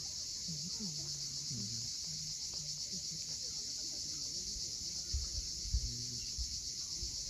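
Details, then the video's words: Cicadas at sunset on the steep coast at Cape Fiolent, Crimea: a continuous shrill, high buzzing drone holds steady throughout, over soft low rumbling and a few faint lower chirps from other creatures. "Cicadas at sunset."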